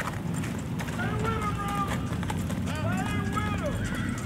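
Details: Horse in the 2022 Juneteenth parade in Dekalb, Texas, among Tennessee Walking Horses and wild Mustangs; two wavering, harmonic whinnies, the second falling at its end, over steady clip-clop of hooves, people talking and low traffic rumble.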